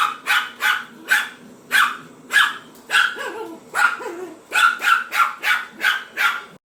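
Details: Pomeranian dog barking at a vacuum cleaner: a rapid series of about sixteen sharp, high, yappy barks in under seven seconds. The barks come in quick bursts with brief gaps, and a few trail off into short whining tails.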